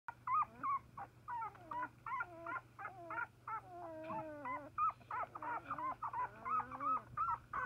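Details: Rhodesian Ridgeback puppies, young and newly walking, exploring their surroundings; a steady stream of high, wavering whines and squeaky yelps, some rising and falling, repeated several times per second with a low steady hum beneath.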